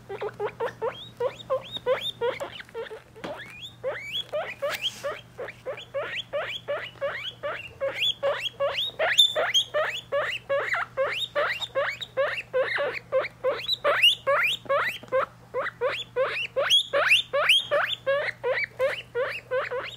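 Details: Three-week-old guinea pig babies with their mother, kept as pets; rapid rising squeaky whistles repeated about two to three per second over a steady low hum.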